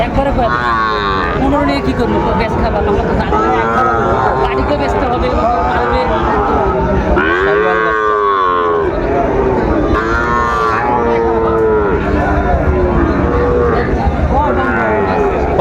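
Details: Sahiwal bull calves at a busy cattle market, Dhaka farmers buying, 30 August 2024. One deep, arching bellow rises and falls midway, with fainter lowing around it and continuous voices of traders and onlookers.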